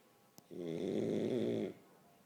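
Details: French Bulldog sleeping and snoring: a faint click, then one long, grating, vibrating snore just over a second long before the room goes quiet.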